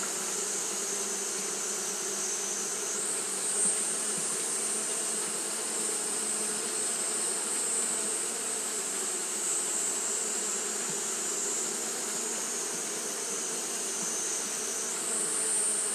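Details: Continuous wing-fanning hum from Japanese honey bees on a hot day, a dense low buzz with stacked overtones holding steady for the whole stretch, a piercing high whine running above it.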